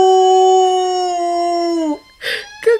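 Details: Female pet dog howling in response to a siren: one steady, even, mid-pitched tone held for about two seconds, then sliding down and breaking off, followed by brief noisy bursts.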